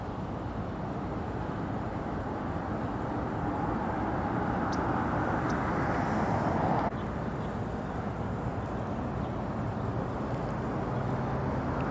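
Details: Steady outdoor rumble of passing traffic or aircraft with a few faint clicks, and no animal voice stands out.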